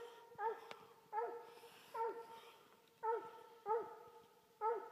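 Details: Coonhounds, including an older half Walker, half English hound, bark in a steady series: six full, harmonic barks spaced roughly a second apart, each rising sharply then trailing off.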